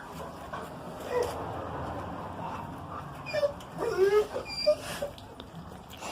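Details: An 11-month-old Rottweiler on guard after hearing a strange noise lets out brief, tense whines and sharp yips, bunched together over a couple of seconds, over a low background hum.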